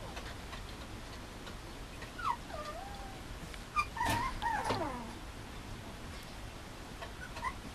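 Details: Mame Shiba puppy at a breeder, giving quiet, scattered whimpers: a few soft wavering whines, then a cluster of short up-and-down squeaky cries midway, fading to occasional faint whines over low room noise.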